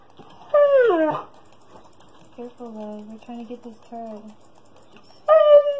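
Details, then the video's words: Siberian Husky throwing a tantrum for attention indoors while ignored during a computer game: a sharp falling whine, then a run of short wavering yips and moans, ending with a loud high wail. "Husky Tantrum"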